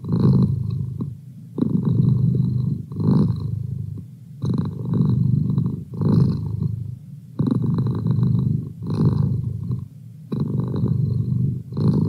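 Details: Merlin, a pet cat, purring steadily: low rumbling bursts in long phrases with short pauses between, about every one and a half to three seconds, in a quiet room.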